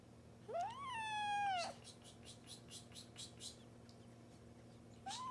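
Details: Angry, hungry Persian cat gives one long drawn-out meow that rises, holds, then drops sharply, followed by soft broken noises and the start of another meow at the end.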